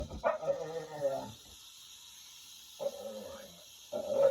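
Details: Domestic dog making noises at a rattlesnake: drawn-out whining vocal sounds with stacked tones, repeated in three bursts of about a second each with quiet gaps between.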